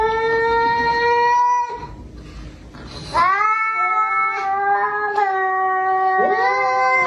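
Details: Domestic cat giving long, drawn-out wailing meows, steady and slightly bending in pitch, one held tone about two seconds long, then a short pause and a second sustained howl lasting nearly four seconds, sounding in a small indoor room.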